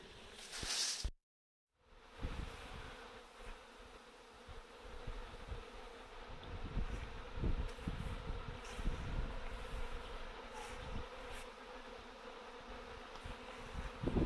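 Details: Honey bees in a swarm being collected from chain-link netting after a short gap, a continuous buzzing hum under frequent low thumps and rustling from handling.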